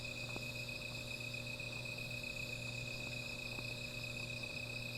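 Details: Night insects near a small campfire sing in a continuous high, even buzzing of stacked tones, while a few sharp crackles from the fire snap through and a low hum runs beneath.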